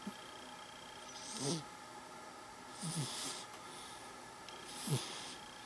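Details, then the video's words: A sleeping, dreaming cat snores softly. Three airy, hissing breaths come about every one and a half seconds, each ending in a small low snort, over a faint steady hum. "Cat Snoring And Dreaming"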